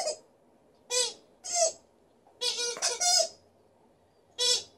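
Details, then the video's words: Female Alaskan Malamute named Liza vocalizing in a good mood: brief, rich, harmonic woo sounds in a loose series, two run together near the middle, separated by quiet gaps. "Alaskan Malamute is howling and then squeaking with her toy"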